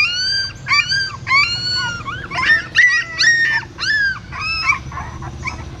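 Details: Newborn puppies and their mother at a Siem Reap pagoda, where she lifts them one by one in her mouth from a hole in the stupa; loud, high, wavering whines and yelps in bursts of about half a second, some drawn out and falling.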